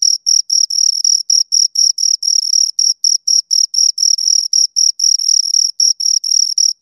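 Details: Close, loud chirping of two crickets: bright high trills broken into regular short bursts about four per second, continuous throughout with no background noise.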